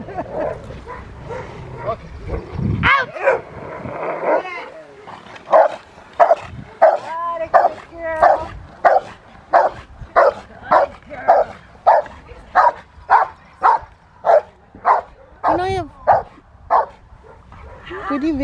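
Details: Rottweiler named Fire v LordsNLadies in protection training with a helper at the Victoria Rottweiler Club, May 2021: after some opening speech and whines, a steady run of loud, deep barks repeats about every 0.6 seconds, with occasional whimpers between.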